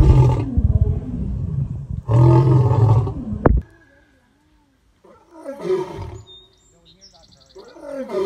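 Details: Male lion producing two heavy grunting roars, then a pause and quieter grunts, with faint human voices and a mechanical beeping sound in the background; one of three males compared for loudness.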